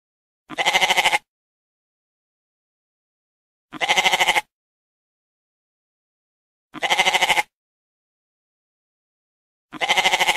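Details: Goats give four evenly spaced bleats, every one a brief trembling call with a rapid quaver, separated by about three seconds of quiet.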